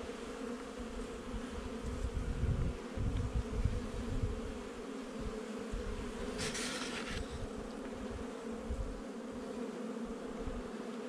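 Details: Honey bee colony from a nuc installed about a month before, during a hive inspection on 8 July 2020: a continuous droning buzz with rumbling, handling-like low noise and a brief hiss near the middle.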